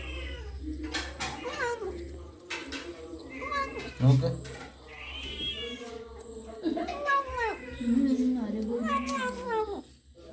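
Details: Kitten feeding on a rat while other cats look on, producing a rapid series of strained, wavering meows and yowls with a short low growl, mixed with a person talking nearby.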